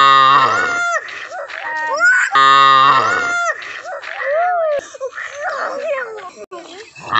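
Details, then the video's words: Village cow in Assam, India, giving two loud, deep, even moos about a second long each, spaced roughly two seconds apart, with people talking over and between the calls. "Village Cow sounds Mooing video"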